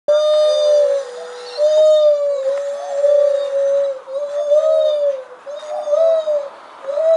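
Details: Lar gibbons at Mogo Zoo in Australia, very vocal that day, give long, clear hooting notes that swell, waver and slide up and down.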